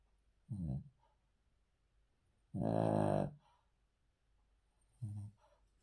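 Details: Indoors, a male Cavalier King Charles Spaniel sleeps on the floor and snores: a short low snort, a longer harsh rattling breath near the middle, then another brief grunt-like snore.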